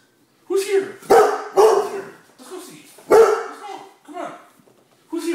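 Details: Shortie, a female Great Dane, calling for her dinner indoors; loud, deep barks and drawn-out woofs in an irregular burst of about five, mixed with a person talking about dinner.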